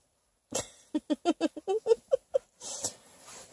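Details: Female Bluetick Pocket Beagle puppy China, comfortable in bed and unwilling to get out after hours in the car, grumbles in a quick run of about eight short tonal whines and grunts. A breathy rustle trails afterwards.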